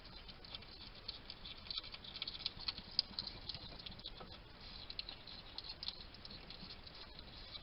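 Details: A wild hedgehog, male, feeding at a station in a Somerset garden in the UK, trail cam recording: busy crackling chewing clicks, irregular and dense, peaking in a louder snap midway, steady low background hiss.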